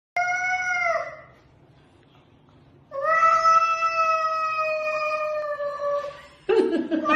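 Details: A domestic cat gives two drawn-out, tonal meows: a short one of about a second, then a longer steady wail lasting over three seconds, rich in harmonics and slightly falling at the end, with a brief scuffling noise after.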